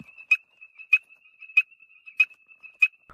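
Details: A toad, said to be calling at an enemy, gives a thin, steady high tone broken by sharp clicking pulses about every half second.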